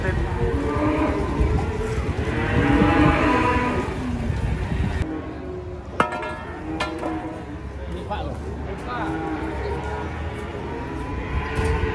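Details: Cattle being unloaded from a truck, one kicking, with deep drawn-out moos over the first few seconds, then knocking and clattering with background music and voices.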